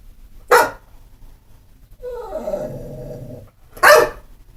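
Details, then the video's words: Not mean or vicious, a pit bull lets out two sharp barks separated by a falling, whiny grumble lasting about a second and a half. "Pit bull barking"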